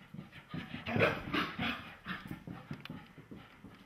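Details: Irish Terrier, angry after being given a bath, making rough, breathy huffs and grumbles in uneven bursts about three per second, with a louder grumbling peak near the middle.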